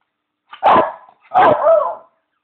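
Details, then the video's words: Bichon Leo demanding his beloved bone with two drawn-out, wavering howling barks, the second longer and rising then falling in tone. "Hund Leo heult/dog howl"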